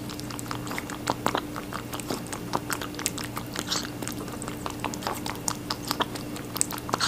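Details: Rabbit eating watermelon indoors, a steady run of fast crisp wet crunches and bites, densely packed clicks throughout with small louder snaps, over a constant low electrical hum.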